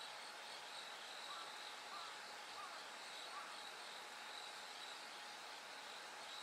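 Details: Bell crickets singing as night turns gradually lighter: unbroken high pulsed ringing chorus, with soft faint whistles in the middle range scattered through.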